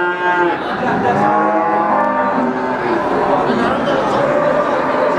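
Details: Brahman breeding cow at the Sumberlawang cattle market in Sragen, 2018: a brief moo at the start, fading into a dense wash of crowd noise and market bustle.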